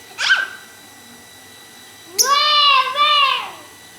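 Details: Domestic cat indoors, sharing a home with other cats and a lovebird, gives one long drawn-out meow that rises, holds, dips briefly and falls away over about a second and a half, after a short high chirp at the start.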